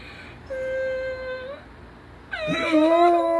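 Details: A German Shepherd reacts to the sound of a human crying, giving a steady, high whine, then a louder, wavering cry with rich overtones.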